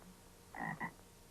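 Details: A single doubled croak of a bullfrog, played from an audio tape for listeners to identify, a short gruff note followed at once by a second, over low steady tape hiss.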